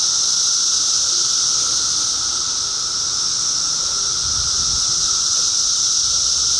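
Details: Loud unbroken buzzing of 2013 cicadas, a shrill even tone holding at one pitch, with little else audible beyond a faint low rumble.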